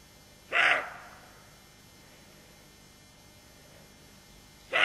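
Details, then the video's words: Roe deer doe on alert with her fawn, barking: a short, harsh, hoarse bark, then a long quiet pause before a second bark begins at the very end. The background is quiet. "Aboiement du chevreuil"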